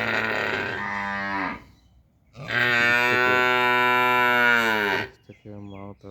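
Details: Cow; contact call; calf calling for its mother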